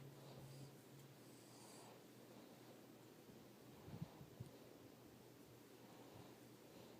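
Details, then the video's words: Elvis, a Russian Blue cat, snoring yet again while asleep: soft, low, breathy rasps rising and fading with each breath, with a brief cluster of faint snorts near the middle against a quiet, steady hum. "Elvis the Russian Blue is snoring yet again"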